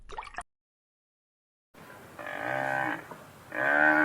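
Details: Cow lowing in two drawn-out harmonic moos, the first about 0.8 seconds long, the second starting near the end, after a short burst of other noise and a silent gap.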